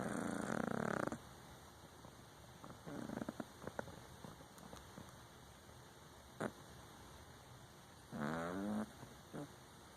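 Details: Exotic Shorthair cat asleep, giving a short raspy snore at the start and another near the end. The stretch between them is quieter, with scattered small clicks and rustles.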